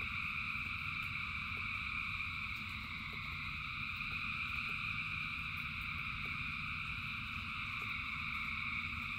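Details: Frogs singing in their thousands in the rain: a constant, dense trilling chorus with a bright high band, a few faint clicking pulses, and heavy low rain noise throughout.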